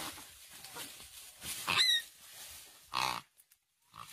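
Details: Piglet seized by a Komodo dragon, which was fiercely preying on young pigs passing nearby: two short, harsh squeals, the second louder and rougher, then a brief silence and a faint final cry.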